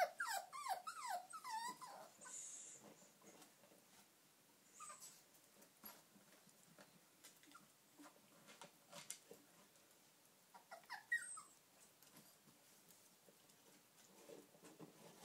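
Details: Eight-week-old puppies at play with a squeaky chicken toy, a litter of two boys and three girls; a quick string of rising-falling whines in the first two seconds, then quiet scuffling and rustling with one more short whine later.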